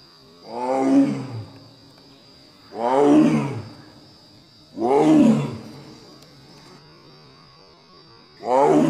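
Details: Mating calls of a female Royal Bengal tiger, Kaziranga National Park: four rich, resonant, groaning calls, each near a second long and dropping in pitch at the close, repeated about every two seconds against a faint constant high whine.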